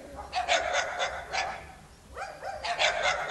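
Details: Dogs Jana, a Serbian defence dog, and Cezar, a Dogo Argentino, barking in two quick runs of several sharp barks each, split by a short pause.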